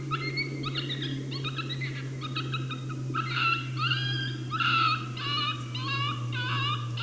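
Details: Coyote at St-Andrews on 1 March 2019, hidden from view and unhappy at the hunter's presence, delivering a challenge bark: a run of harmonic barks and wavering yelps, roughly one or two a second, over a steady low hum.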